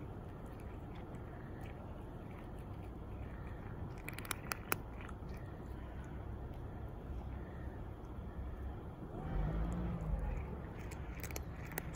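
Low background rumble with faint crunching and a few sharp clicks, no clear animal voice.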